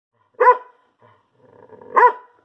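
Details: Small female poodle vocalising at home, two short harmonic yelping howls about a second and a half apart, each quick and slightly rising then falling, with faint soft noises between them.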